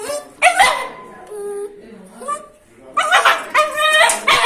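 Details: Angry dog or puppy giving soft, thin whimpering tones, followed by a burst of sharp, high yapping barks near the end.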